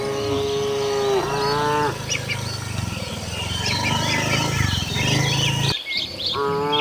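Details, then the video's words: A tame cow heads to the shed with its herd, letting out one drawn-out moo that dips in pitch near its end. A second moo starts just before the close, over a low rumble and faint bird chirps. "suara sapi moo,perjalanan sapi lembu jinak menuju kandang bersama kawanannya"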